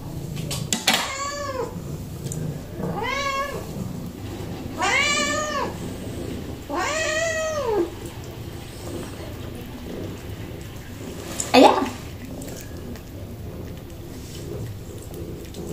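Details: Kitten that likes to eat broccoli, meowing indoors: four drawn-out, arching meows rich in harmonics, spaced about two seconds apart, followed by a sharp click near the end and a quiet room hum.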